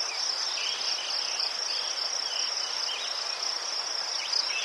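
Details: Ukrainian crickets near chrysanthemums keep up a continuous shrill, high trill, evenly pulsed, with a few faint, brief, wavering chirps at a lower pitch scattered underneath.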